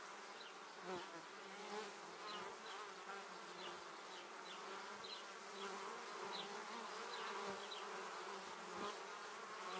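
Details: Numerous honey bees flying right by on their way back to the hive, producing a thick, constant buzzing hum that swells and fades as each bee passes, with faint high chirps sprinkled throughout.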